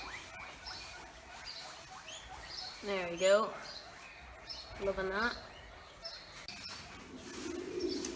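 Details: Guinea pigs at a farm give loud, rising, squealing wheeks, calling for their breakfast as a man brings them grass and talks nearby.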